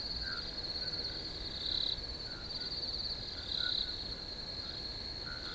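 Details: Crickets keep up an unbroken shrill chorus, with two louder pulsed chirp bursts about two seconds apart over a faint lower buzzing band.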